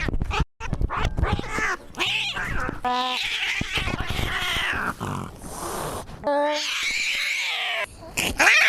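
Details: Maxwell the cat screaming amid choppy cuts: short tonal cries, a longer harsh wail, and a rising yowl near the end, with clattering noises between.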